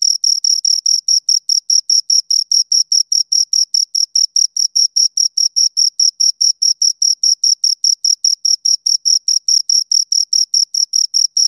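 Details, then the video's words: Steady chirping from two crickets: rapid, evenly spaced shrill pulses, roughly four per second, continuing without pause against a silent background. "Two Crickets Chirp Sounds"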